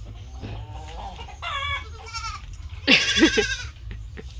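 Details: Goats kept on a farm calling: a few short nasal bleats, then a clear harmonic bleat, and finally a loud, harsh, trembling bleat with a strained, wavering quality, with faint rustling and low rumble between calls.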